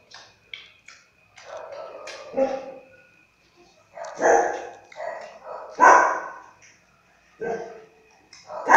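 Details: Twenty-day-old Siberian husky puppy, recorded in July 2017, away from its mother: a series of short whining yelps and squeaks at irregular intervals, some broad and noisy, separated by quiet gaps, with a faint steady tone in the background.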